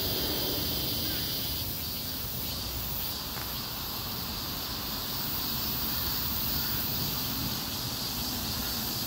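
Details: Street chorus of cicadas in a heatwave, an unbroken high shrill hiss holding steady throughout, over a low rumble of traffic.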